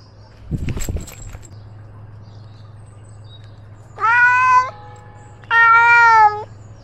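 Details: Ros, a pet cat filmed from his own collar camera while roaming outdoors, gives two clear drawn-out meows about a second apart, each steady then slightly falling, after a brief rustling thump and over a low steady hum.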